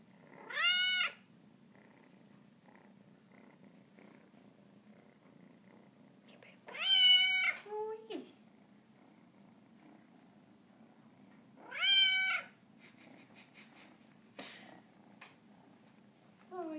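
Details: Cornish Rex named Anakin, kneading while greeting its owner indoors, gives three loud, drawn-out, bright meows about five seconds apart, with a short lower call after the second and faint quiet sounds between.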